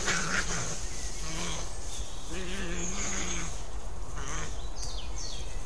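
European badgers fighting, with low, wavering moans and growls over a steady hiss.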